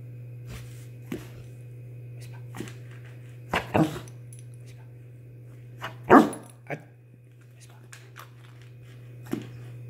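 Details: A Rottweiler about 21 months old, trained to "whisper" on cue, gives soft, breathy, muffled woofs at irregular intervals over a steady low hum.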